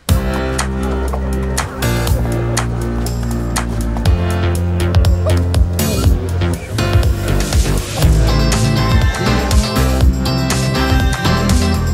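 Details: Loud instrumental music with plucked guitar-like strings, steady bass and a regular beat throughout, with no animal sound heard.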